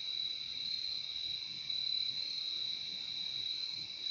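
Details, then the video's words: Nature recording of crickets: a constant piercing high trill with a weaker lower tone under it, continuous and unvarying apart from slight loudness swells. "Relaxing sound of crickets"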